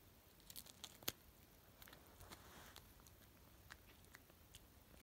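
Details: A cat eating greens indoors in a small room, with quiet, irregular crunching and biting clicks scattered through the clip and one sharper snap near the middle. No other clear sounds.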